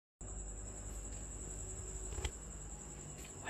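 A tropical house cricket sings a steady, piercing high-pitched trill over low indoor rumble.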